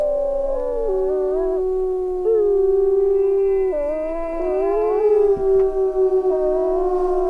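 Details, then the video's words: Several wolves howling together in a chorus, their overlapping long tones shifting up and down in pitch against one another. "صوت عواء الذئب ! sound of wolf"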